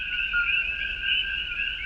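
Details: Male common coquí frogs start their evening mating chorus around sundown in the jungle as rain begins, at about 68–69°F, quieter than in summer: a steady, high, ringing wall of overlapping chirps.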